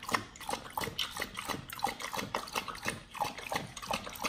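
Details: Pit Bulls take an avocado, strawberry and spirulina smoothie with a raw meal: rhythmic wet lapping and slurping pulses, a little under one per second.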